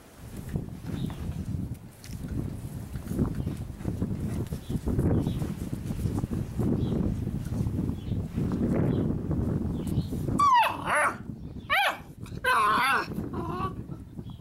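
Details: Six-week-old Labrador Retriever puppies: about ten seconds of low shuffling and rustling, then a short burst of high, wavering whines and yelps with rising and falling pitch near the end.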